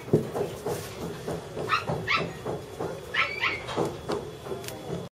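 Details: Puppies in a mall yelping and whining in quick, high, upward-sweeping bursts, several per second at times, over indoor hum and faint background sounds.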